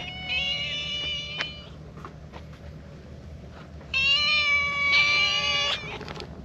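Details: A stray Siamese cat, with an orange tabby companion, comes rubbing its face affectionately and gives two drawn-out, harmonic-rich meows, asking for affection.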